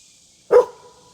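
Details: Pet dog barking at a summer campsite in the woodland of Mission Tejas State Park, Texas, breaking the quiet of the park: a single short, sharp bark, then near silence.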